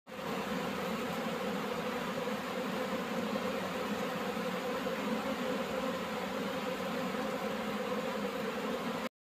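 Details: Honey bees inside a beehive, a colony being searched for its queen, make a dense, continuous buzzing hum that holds steady throughout with no breaks, with a layered drone of many wingbeats and no other clear sounds.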